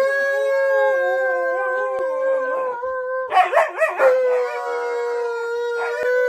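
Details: Pet Alaskan Malamute howling indoors after following its owner to the bathroom: a long, steady, held note, broken midway by a short yodelling wobble, then settling back to the same even pitch until the end.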